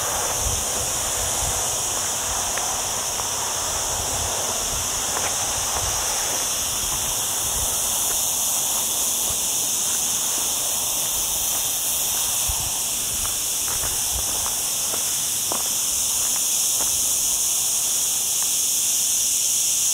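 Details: Olive trees on the lower slopes of Sierra Llana, next to a town, ring with cicada song on an overcast day in a hot week: a dense, even, shimmering drone holds steady throughout, with occasional faint crackles.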